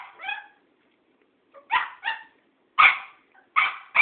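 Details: Cairn Terrier barking at an old tomcat in a fast, uneven run of shrill yaps, about six in four seconds, some doubled in quick pairs. Little background noise.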